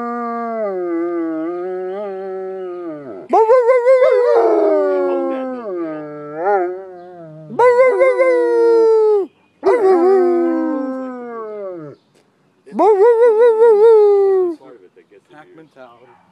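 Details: Pet German Shepherd in Watchung, New Jersey, answering the noon siren with four drawn-out howls, each starting high with a quiver and sagging lower, separated by brief pauses, after an opening stretch of steady siren wail.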